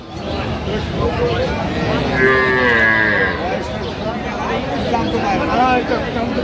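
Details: At the Aftabganj haat in Dinajpur, with cows and calves for sale on 6/9/25, a brief moo rises midway, half-buried under continuous talk, crowd chatter and background bustle.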